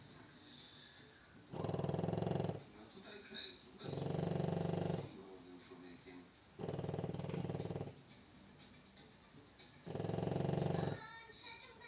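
Heavy, low, rattling snores from a French Bulldog come in steady bursts, each about a second long. Between them there is a quieter breathing hiss and faint background noise.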